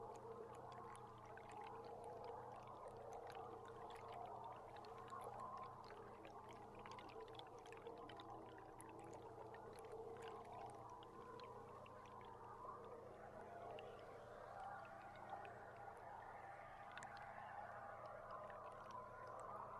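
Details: Underwater beluga sounds picked up by a boat camera on July 16: overlapping squeals and warbling whistles, with bursts of crackling clicks, then a higher rising squeal near the end, all over a constant low boat drone.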